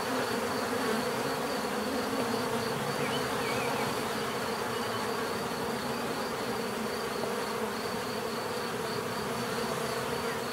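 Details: Unbroken hum of a mass of bees, layered buzzing tones with slight flickers of loudness, steady across the whole ten seconds.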